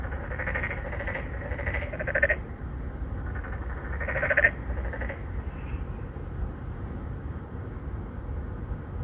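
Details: A small chorus of endangered narrow-mouthed frogs calling for mates at a Songdo, Incheon apartment pond in Korea. Rough, pulsed croaks overlap in the first half, then fade, leaving mostly a low rumble.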